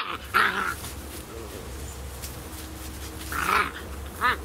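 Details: Beagle puppies Spot and Panda Bear, 11 weeks old, from SouthEast Beagle Rescue, playing together: two short harmonic yelping bursts about three seconds apart, with low rumbling growls between them, over a steady low background hum.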